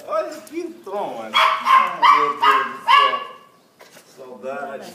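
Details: Thor, a Cocker Spaniel meeting his owner again after 14 months without seeing each other, gives a run of four loud, harmonic whimpering yelps, then softer whines, while a woman talks emotionally in Portuguese.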